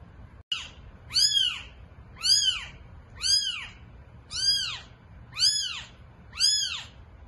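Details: Domestic cat around the birth of eight kittens: six high, arched, mewing cries, each rising then falling, repeated about once a second over a quiet indoor background.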